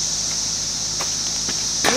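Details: Constant high whining drone of emerging 17-year periodical cicadas, Brood X, in Fairfield, Ohio, June 5, 2021, near woods behind houses; a few soft clicks and a brief knock break through at the end.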